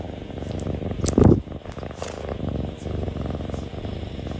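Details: A kitten purring close up against the recording device, a steady low rumbling purr pulsing throughout, interrupted once by a brief louder snuffling burst near the start.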